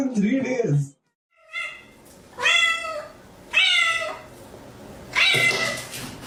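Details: Domestic cat giving a run of four drawn-out, harmonic meows, each rising then falling slightly, spaced about a second apart after a short burst of human voice at the start, indoors.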